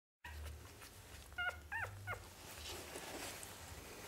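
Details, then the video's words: Newborn Manchester Terrier puppies from a litter of five, giving a few short high squeaks and whimpers with harmonics, three quick calls near the middle over a low steady hum. "puppies caelin"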